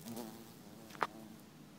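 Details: A very big bee works at plants being watered, filmed on an iPhone 4. It gives a brief, low, steady buzz with a rich, even tone, broken by one sharp click.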